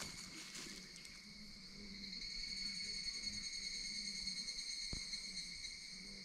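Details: Evening cicadas (Tanna japonensis), with Ezo cicadas also present, sing in primeval forest just below Washigamine summit, Okinoshima, dated 27 July: a high, metallic, shimmering drone holding steady with gentle pulsing.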